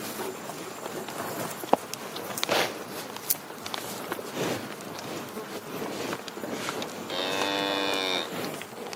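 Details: After several seconds of rustling and thumping noises, a cow lets out a short, clear moo with strong harmonics near the end.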